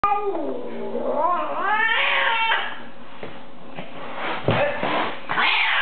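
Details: Female pet cat, being cat-sat, hostile toward a visitor indoors: long wavering yowls that rise and fall for about two seconds, then quieter rustling and a few sharp noises in a small room.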